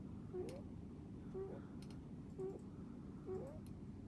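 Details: Rabbit snoring while asleep: soft, short squeaky notes that rise in pitch, four in a row at roughly one-second intervals like breaths, over a low steady indoor hum with faint clicks.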